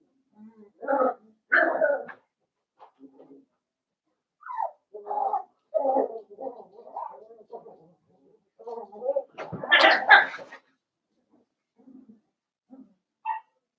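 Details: Blenheim Cavalier King Charles Spaniel puppies, a litter of five born on New Year's, in a home puppy pen; soft whimpers and squeaky yelps in short bursts, rising to a louder whining cry near the middle, then fading to faint squeaks.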